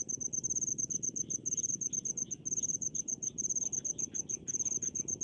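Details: Cricket in a rice field, giving shrill rapid chirp pulses in quick bursts separated by brief gaps, over a low continuous hum of background noise.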